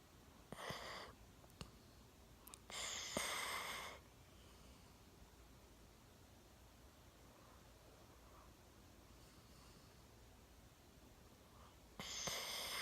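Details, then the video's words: One-year-old Golden Retriever Milo fast asleep on a sofa, chin on a table, snoring in a quiet room: a few short raspy breaths early on, a longer hoarse snore near three seconds, then silence until another snore at the end. "ゴールデンレトリバー いびきをかいて大爆睡"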